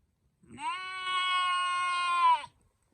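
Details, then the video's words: Sheep and lamb: a single long baa of about two seconds, even and sustained with a bright, reedy, harmonic tone, starting and stopping cleanly against a quiet background. "Sheep and lamb baaing sounds || cute baby sheep sound effect"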